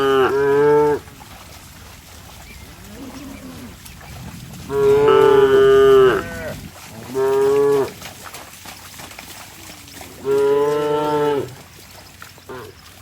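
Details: Cattle running in mud; four loud, rich moos spaced a few seconds apart, each a steady harmonic tone lasting about one second, with a faint low grunt between them.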